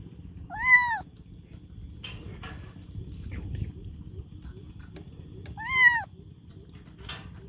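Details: Kitten calling for its mother with two short arched meows about five seconds apart, each rising then dropping, with light clicks and rustling between calls over low background rumble.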